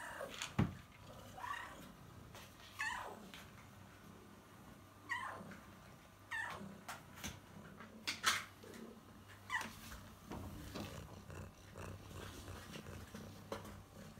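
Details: Kitten impatiently waiting for food, giving a series of birdlike chirps, each a quick high note sliding downward, repeated every one to two seconds, with a low steady hum and light rustling behind.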